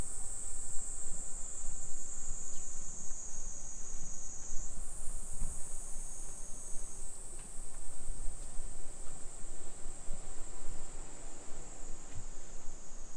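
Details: Summer cicada chorus on a Nisshin city street, Aichi Prefecture, Japan, 2 PM, 28 July 2021; a continuous high-pitched drone that steps up in pitch partway through and holds there, over faint footsteps and low background hum.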